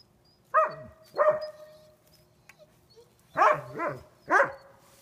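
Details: Sasha, a pet dog blinded about two weeks earlier, playing on April 20, 2016: sharp harmonic barks with falling tails, two near the start and a quicker cluster of three later, quiet between.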